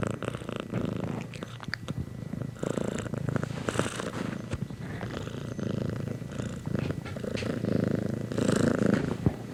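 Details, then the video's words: Cat purrs close up, a low rumbling vibration that swells and fades with each breath, with soft rustling between breaths. "Cat Purrs"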